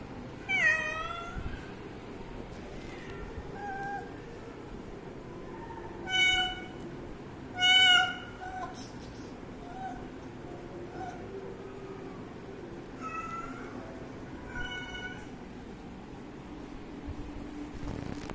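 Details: Young cat drinking water, letting out loud, sharply rising-and-falling meows in separated bursts, several strong ones near the start and middle, with softer mews between and a faint constant hum underneath.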